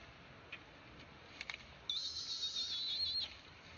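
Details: A newborn monkey near its mother gives a thin, high squeal lasting over a second, wavering slightly in pitch.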